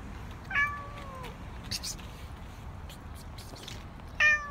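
A Siamese cat calls twice with strident, nasal meows: the first long and gradually falling, the second abrupt and rising. Faint rustling and soft room noise fill the gap between them.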